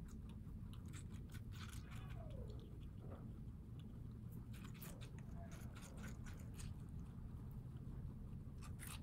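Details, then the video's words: Pet guinea pigs living in New York City eating watermelon, said to prefer the light green rind. Irregular crisp crunching clicks come in bursts over a steady low indoor hum. "Guinea Pigs Eating Watermelon ASMR crunch"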